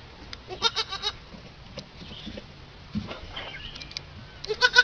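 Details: Baby goat, described as a mean little bully, gives short high bleats with stacked harmonics, two quick bursts near the start and a louder one at the end, over faint low background rumble.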